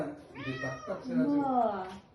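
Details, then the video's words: Male Persian cat in heat calling: a drawn-out, wavering, harmonic yowl lasting about two seconds that rises then bends downward, with quiet speech in the background. "Male Cat heat calling"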